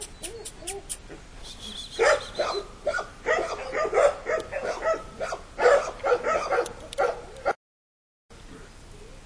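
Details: Five young puppies in a yard with their mother, staying close and keeping her in sight; rapid overlapping yips and whimpers in quick succession, several pups calling together, ending after a short silence.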